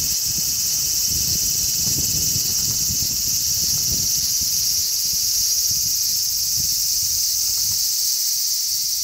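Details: On 3 August 2010, many large brown cicadas on a zelkova tree keep up a dense, high, level buzzing drone for the whole stretch, while a strong sea breeze adds repeated low gusty rumbles that ease toward the end.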